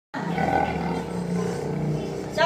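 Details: An angry white tiger at a tiger park in Pattaya gives a deep, rumbling roar that holds steady for over two seconds; Tiger.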